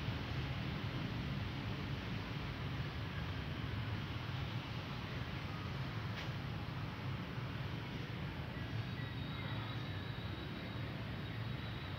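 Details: Steady low vehicle rumble fills the recording, with no animal voice standing out. A faint thin whine runs through the final few seconds.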